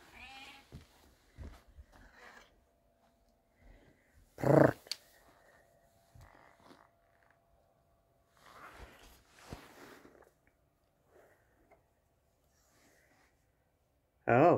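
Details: An adult female 6.5-pound calico cat gives two loud, drawn-out meows of complaint while a person talks to her, showing displeasure after the house was vacuumed. Calico cat.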